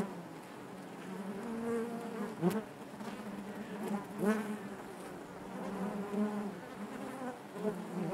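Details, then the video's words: Dense buzzing of honey bees in their hive, a low warm drone with wavering overtones; several nearby bees pass with short rising and falling buzzes, and occasional soft clicks sound. "bees therapy hive natural buzzing sound"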